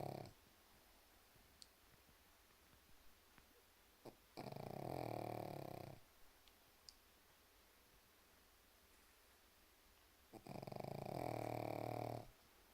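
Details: Snoring from a sleeping pug: two drawn-out rattling snores, each near one and a half seconds, spaced about six seconds apart, with soft clicks and quiet room tone in between.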